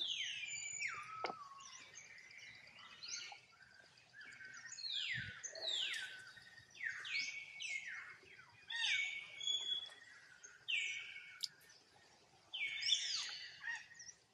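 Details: Small young monkey calling its mother to come and help, giving a long series of sharp, high-pitched squealing cries, each falling in pitch, grouped in bursts with brief pauses, one faint thump midway.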